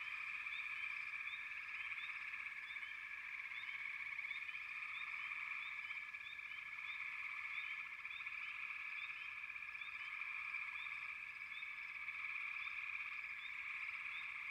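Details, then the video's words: Many frogs calling together in a constant buzzing, pulsed drone, overlaid by frequent short rising chirps throughout. "Frogs, лягушки"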